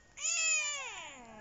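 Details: Female Siamese cat indoors in the evening, talking back to a person speaking to her: a single loud, rich meow, strong and steady at first, then sliding downward and fading into a low drawn-out tail.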